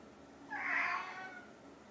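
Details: Hungry domestic cat, one of a pair (orange tabby Chai and silver tabby Sushi), meowing indoors to ask for food: a single drawn-out, rising-then-falling meow lasting under a second in a quiet room.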